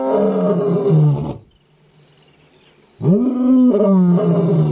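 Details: A male lion gives powerful, rich roars: a long, falling bellow, a silence of about two seconds, then another loud roar that rises and holds with strong layered overtones.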